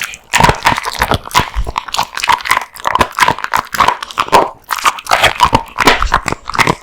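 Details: Kotetsu the male American Bully chomps raw meat and bones, forceful wet bites and crackling crunches repeating about twice a second, with occasional grunting breaths.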